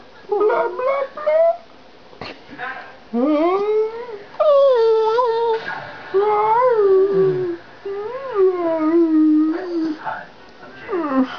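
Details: Pet dog 'talking', said to love to talk, in a chat: a string of drawn-out, wavering howl-like vocal sounds that rise, bend and fall, in bursts of one to two seconds with short pauses between.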